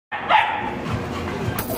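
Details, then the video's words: French Mastiff kept at a dog kennel in Varanasi, India, giving a single short, deep bark near the start, followed by a sustained tonal background with music playing throughout. "French mastiff"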